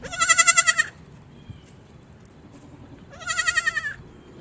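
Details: Baby goat on a farm calling out with two loud, quivering, high-pitched bleats, each close to a second long, separated by a quiet gap of about two and a half seconds.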